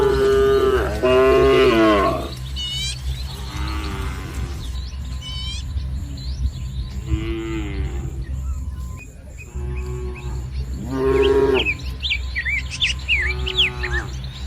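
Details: Dozens of tame village cattle crowd together in green rice fields under soft morning sun, giving several deep harmonic moos, some long and drawn out, with pauses between; small birds chirp in the background.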